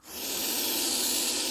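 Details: Rescued Russell's viper, a venomous snake with hemotoxic venom, hissing: one long, steady, forceful rushing hiss like escaping steam, swelling in the first moment and then held evenly throughout.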